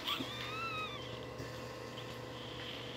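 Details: Newborn Shih Tzu puppy crying: one thin, high whimpering squeal that wavers and slowly falls over about a second, then fades, with a steady low hum and quiet music behind it.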